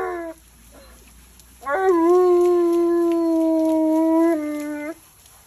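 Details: Alaskan Malamute Tonka protests at bath time. A short falling yelp comes first, then a long steady howl held about three seconds that steps down in pitch just before it stops.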